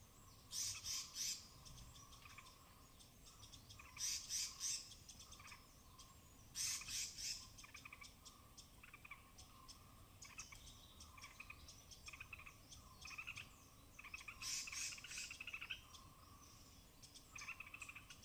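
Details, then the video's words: Native forest squirrels foraging in the Western Ghats canopy at Tamhini, rain-soaked branches, binaural recording: bouts of rapid, grating high notes recur every few seconds, interspersed with scattered thin chirps and ticks over a faint steady hum. "High-Pitched Sounds of Squirrels"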